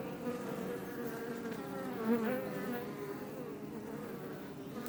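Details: Honey bees of the Iberian subspecies buzzing outside a Langstroth beebox hive near Roquetes, Tarragona, Catalonia; steady layered drone with a brief louder swell midway as one bee passes near.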